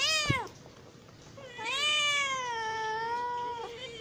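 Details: Hungry house cat: a short sharp meow with a click, a pause, then one long, steady, slightly wavering meow lasting about two seconds.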